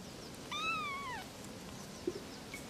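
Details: Kitten meowing, one of three little kittens: a single clear harmonic meow lasting under a second, rising slightly then falling away, over a quiet background with a faint tap near the end.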